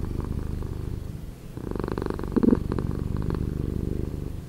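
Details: Short stretch of a cat purring, slowed in editing: gentle low throbbing that fades briefly near one and a half seconds, then returns fuller and slightly brighter.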